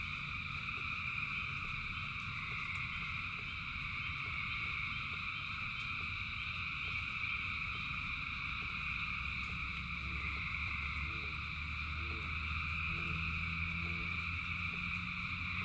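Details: A huge rain-soaked frog chorus keeps up a continuous high trilling drone; later, short lower pulsed croaks repeat roughly every second above a deep steady rumble of falling rain.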